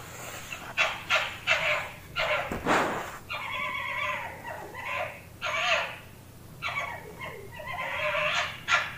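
A Bengal fox calls with high, nasal whines and yelping yips, each burst lasting under a second and coming in rapid succession. One harsher, broader bark-like cry breaks the sequence partway through.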